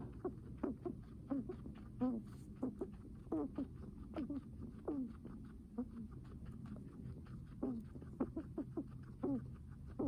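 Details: A guinea pig breathes heavily, each breath a brief squeaky wheeze with a soft rasp. They come in bursts, roughly one to two per second, over quiet background hiss.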